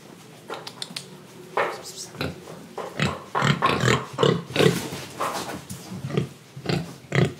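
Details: Indonesian pigs oinking while eating and breathing: loud, short nasal grunts and snorts come in quick, irregular bursts, mixed with munching and slurping noises.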